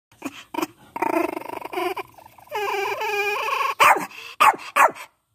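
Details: Angry Pinscher dog: a few short yips, then a drawn-out snarling, whining growl, ending in three sharp, loud barks.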